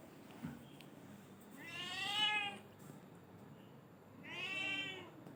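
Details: Black-and-white house cat meowing twice, each call drawn out and bending in pitch, spaced about two and a half seconds apart over low background hiss.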